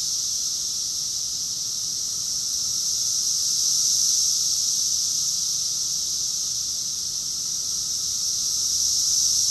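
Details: A June 2021 cicada chorus from Rockville, Maryland, USA, heard as a constant shrill buzzing wall of sound, slightly louder around the middle, without other voices or noises.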